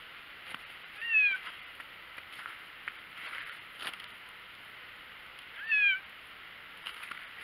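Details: White cat outside in the snow gives two short, high, slightly falling meows about four and a half seconds apart, over a steady background hiss.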